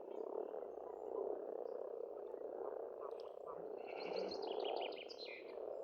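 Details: Spring frog chorus at a pond on an Estonian farmstead: a dense, continuous rolling croak swelling and fading, with thin high bird whistles and short trills layered above, loudest near the end.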